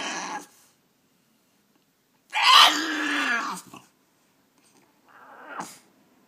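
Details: French Bulldog in a cage indoors, asking to be let out with talk-like vocal sounds: a short opening yelp, a strained, wavering moan of over a second, then a quieter brief grumble ending in a sharp burst.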